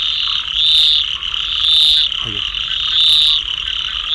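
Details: Rain frogs in a dense high-pitched chorus, a steady shrill drone with louder swelling pulses rising about every second.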